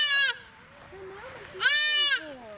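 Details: Young female deer fawn crying for its mother while being let go toward the woods: two strained, nasal bleats about 1.5 seconds apart, with soft human speech in between.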